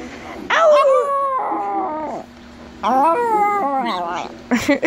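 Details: A chihuahua practising its howl: two sustained, quavering howls, each about a second and a half, separated by a pause, with a clipped bark breaking in at the close.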